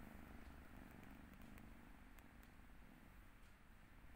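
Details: Kotora, a sleepy 11-week-old Turkish Angora kitten on its second day in a new home, 25 February 2022, gives a quiet, low, steady purr with a gentle rhythmic throb. The purr fades out at the end.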